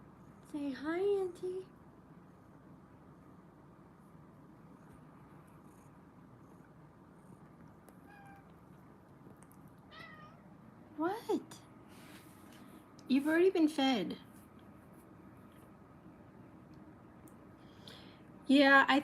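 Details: Kittens in a cuddle room meowing indoors: four separate harmonic meows spaced several seconds apart, the longest near the end, each rising then falling, with quiet stretches between them and faint voices in the room.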